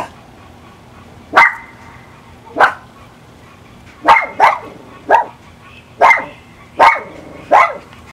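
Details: Pet Miniature Pinscher, a two-year-old female, barking frantically before being let out back: eight loud, sharp barks, some in quick pairs, each with a ringing tail, repeated roughly every second with brief quiet gaps.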